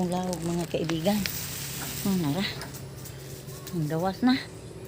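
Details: Domestic goats at supper time: three bursts of tremulous, quavering bleats, each wavering up and down, with a steady low hum and faint rustling between calls.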